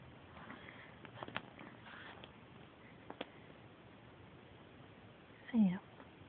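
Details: Siamese cat named Sam, a pet indoors, called by name and ignoring its owner, gives one short, loud meow that falls in pitch near the end, after quiet room noise and a few soft taps.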